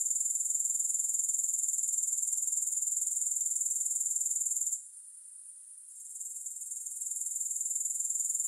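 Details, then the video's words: High, continuous grasshopper trill, finely pulsed, that drops sharply near five seconds, stays hushed for about a second, then slowly builds back to full level; no other sounds. "Grass Hopper Sounds"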